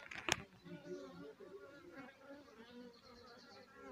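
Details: Swarm of honey bees clustered on a house roof, giving a steady, warbling drone of many buzzing wingbeats layered at shifting pitches, opened by one sharp knock.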